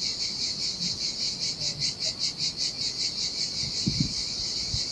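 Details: Sardinian seaside cicadas singing in the heat, desolate sandy beach: a piercing pulsed buzz swelling and fading in quick regular beats, joined by brief low thumps toward the close.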